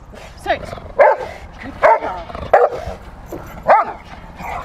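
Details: Female Rottweiler barking during play in protection training on March 18, 2021. Four sharp, rough barks come about a second apart, and a low human voice is heard between them.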